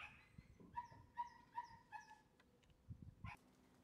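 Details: Four short, even, high-pitched whines from a Shiba Inu puppy, evenly spaced less than half a second apart, followed by a quiet pause with soft thumps and scuffing.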